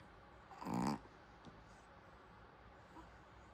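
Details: Snore from a sleeping Pomeranian: one short, harsh breathing burst lasting about a third of a second, followed by quiet room hiss and a faint soft breath.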